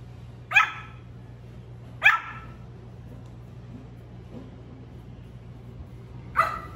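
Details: Little male Pomeranian puppy barking for the first time: two quick bright yaps about one and a half seconds apart, a long quiet pause, then a third bark, against a faint background hum.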